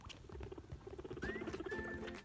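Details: A guinea pig chatters in a quick run of soft, evenly repeated squeaks, which signal happiness or talking to another guinea pig.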